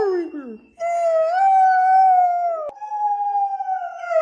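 A Borzoi gives a long, steady, mid-pitched howl, briefly breaking off before carrying on.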